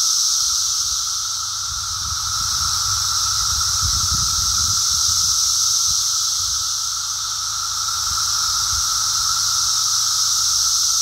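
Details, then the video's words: Brood X periodical cicada emergence heard on a walk, a massed continuous shrill chorus holding steady throughout, with brief low rumbling noises in the middle, likely footsteps or handling. "Brood X cicada walk"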